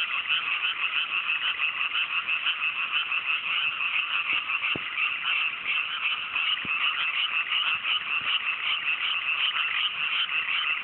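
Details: Great night chorus of frogs in cool mountain rice fields after rice planting, countryside Japan, fine weather; a thick wall of trilling, overlapping croaks with a few faint soft knocks underneath.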